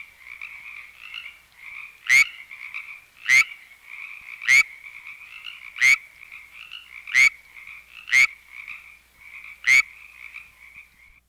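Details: A California treefrog in a canyon in California gives short, loud, quacking mating calls about once every second or so.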